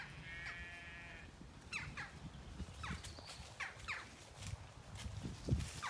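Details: Zwartbles ewe, one of 18 hoped to be in lamb, in a field on a regenerative farm in County Kilkenny, Ireland, on an autumn day, coming to check on her keeper: one short, steady, harmonic bleat lasting about a second, then scattered bird chirps and rustling.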